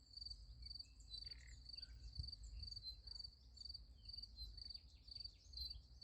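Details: Crickets at night beside a sunflower field: a high, pulsed chirp repeating about twice a second in a steady run, with a few faint bird notes and a low background rumble.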